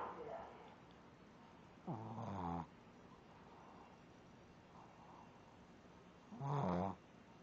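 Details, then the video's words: Shih Tzu snoring while asleep: two harsh, rasping snores about four and a half seconds apart, each lasting under a second, with quiet breathing noise between them. "dog snoring"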